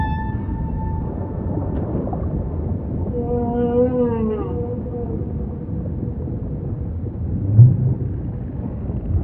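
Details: Humpback singing in ocean ambience, a faint steady tone at the start giving way to a rich harmonic moan that wavers and dips, then fades back into the low continuous rumble of water.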